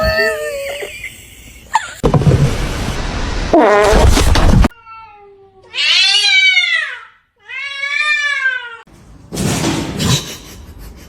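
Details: Domestic cat from a funny cats fighting compilation: two drawn-out, harmonic meows that rise then fall, each about a second long. Cut between bursts of loud noise, a cry and muffled indoor sounds.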